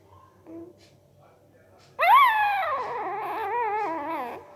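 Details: A sleeping puppy gives one long whining cry that jumps up sharply, then sinks slowly with a wavering tremble over about two seconds, after soft faint murmurs, in a quiet indoor room.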